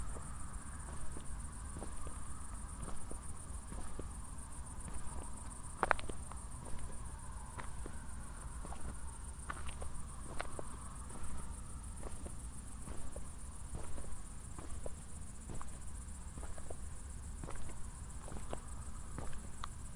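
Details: After a thunderstorm, crickets sing at night near Zwettl, Austria; their high chirping blurs into an almost continuous trill, accompanied by rhythmic walking footsteps and a steady low rumble.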